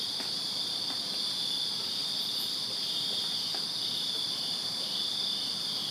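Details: Crickets chirping in a Virginia backyard on a summer night: a dense, continuous high trilling chorus in steady bands, with no breaks, plus faint ticks and a soft rural background hiss.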